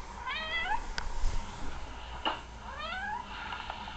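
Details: Sister cat's meow heard by a new kitten from a recording as he tries to find her. Two rising-then-falling meows a couple of seconds apart, with soft clicks and room hum.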